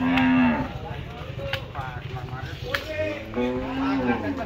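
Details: Agitated, excited cow at the Postogola Shmashan Ghat cattle market in Dhaka, Bangladesh, brought for Qurbani in 2024, giving loud harmonic moos, a long one at the start and another near the end, amid crowd voices.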